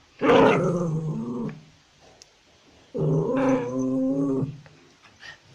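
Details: Puppies in a barking compilation; two drawn-out whining, growly yelps, each about a second and a half long with a falling harmonic tone, separated by a short pause.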